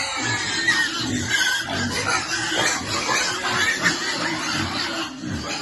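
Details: Pig among piglets at feeding time, giving low grunting oinks scattered through the recording, set against steady background music and general noise.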